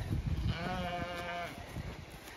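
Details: Zwartbles ewe in County Kilkenny, Ireland, searching for her lamb that died the day before, let out to grass in the late afternoon; one long, steady, harmonic bleat over low rumbling and thuds.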